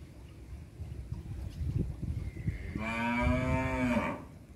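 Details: Village farm cattle in Indonesia, a single long moo of just over a second that rises slightly then drops at the end, preceded by soft knocking and rustling in the barn.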